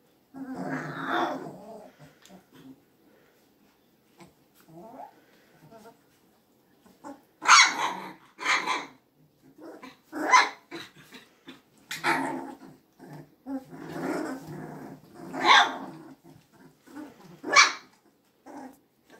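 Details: Magyar Vizsla puppies on 24 February 2021, trading small rough growls and sharp, yappy barks in irregular clusters, with quiet gaps between bouts of play noise.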